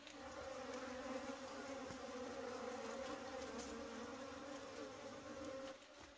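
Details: Wild honey bees during a wild honey harvest, a steady droning hum of many insects with a low background rumble.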